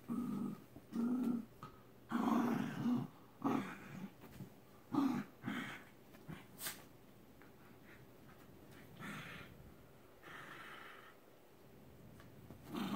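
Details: Shiba Inu grappling in play, giving short throaty growls in bursts about once a second for seven seconds, then softer huffing breaths and snorts between pauses, with light thumps of movement.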